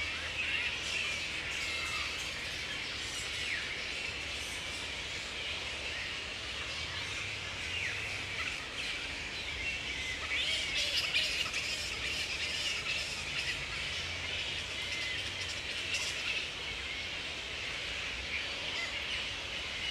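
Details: Wild grey-headed flying foxes at a roost in Woodford, Australia, in mid-April at the peak of the breeding season, mating pairs roosting together. A steady, dense wash of shrill, overlapping squeaks and screeches continues throughout.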